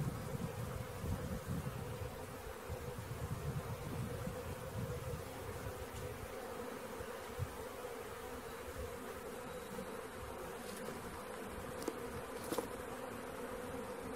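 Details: Swarm of honey bees during capture, giving a continuous droning buzz of a great many wings, steady throughout, with a few brief clicks and knocks from the handling.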